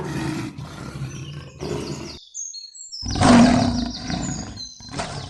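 Deep, rough lion roars come in two bursts separated by a brief pause, with thin high whistling tones, likely birds, above them.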